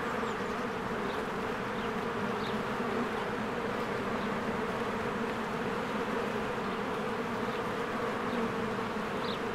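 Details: At a beehive in spring, crowds of honeybees buzz as they come and go; an unbroken droning hum holds steady, with several faint, brief bird chirps rising above it.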